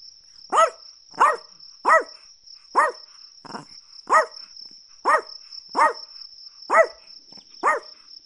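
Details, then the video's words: Rapid run of about eleven short, high-pitched Chihuahua yaps, roughly one per second, fairly even in loudness, accompanied by a persistent shrill buzzing tone like a cricket. "Chihuahua Barking Sounds"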